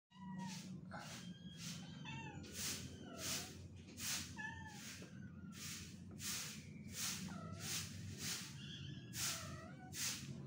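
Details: {'caption': 'Kitten meowing in a rapid series of short, high, downward-sliding mews, roughly fourteen across ten seconds, each with a sharp onset, over a steady low hum.'}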